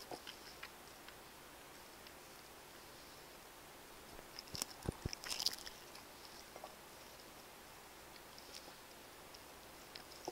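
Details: Pet cats eating indoors from a meal of chicken-flavoured wet food, Royal Canin Ragdoll dry food and bonito flakes; soft, scattered licking and chewing clicks, with a brief cluster of louder crunches midway over low room hiss.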